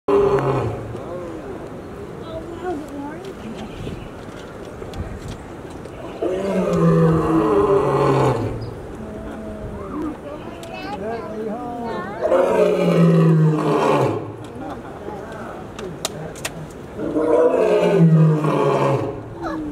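A lion gives deep, throaty roars in loud bursts roughly every five seconds.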